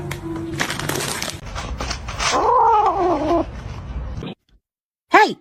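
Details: A cat gives a long, wavering meow over a background of human talk and bumping noise, followed by a brief silence and one short, sharp meow at the end.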